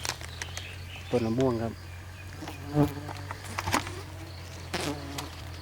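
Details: Giant honey bees swarming out to sting during the rainy season, when they turn far fiercer, at a nest not high up; a steady low droning hum runs throughout, broken by short bursts of a man talking.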